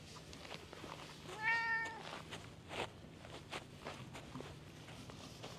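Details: Park stray cat that came over to be stroked gives one loud, drawn-out harmonic meow midway, surrounded by clicks and soft handling noises.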